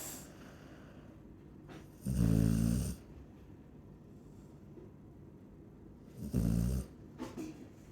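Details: Two deep, buzzy snores from a Chow Chow, each lasting under a second and about four seconds apart, with soft breathing in the quiet gap.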